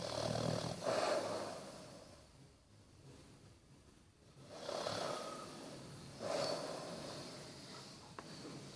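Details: Bertie, a sleeping Basset Hound, snoring indoors: three rough, rasping snore bursts spaced a few seconds apart, with quiet breathing in the gaps.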